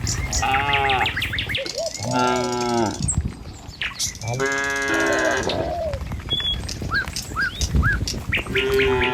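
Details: Several tame cattle moving at morning along a village road to their pen; long, rich moos with stacked harmonics rise and fall in turn, separated by short gaps filled with bird chirps and faint footsteps.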